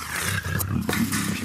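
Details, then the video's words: Female black African leopard in her first heat at a big cat breeding center, a short burst of low growling broken by a brief gap, loud and rough, with faint music in the background. "African Black Leopard In Heat - Cat Growls Snarls Displays Runs & Sprays"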